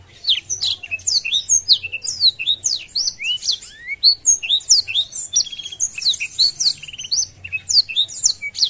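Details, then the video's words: Long, dense warbling song of a blackthroat that spreads its wings to provoke rivals, packed with rapid high chirps, slurred whistles and squeaky twitters almost without pause. "Blackthroat Gacor Buka Sayap | Memancing Emosi Lawan"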